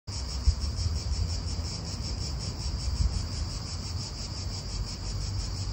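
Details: Cicadas in a park in Italy: a steady, high, shimmering buzz that pulses faintly and never pauses, over a heavy low rumble of wind.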